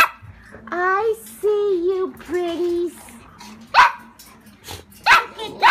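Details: Golden Retriever puppies on the day of their shots: three drawn-out, harmonic whines that waver and slide, followed by short sharp yelps or barks, with faint voices in the background.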